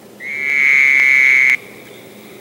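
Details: A Fowler's toad, usually heard near lake shores and river valleys through most of summer, gives a single nasal, buzzy bleat, steady in pitch and lasting over a second.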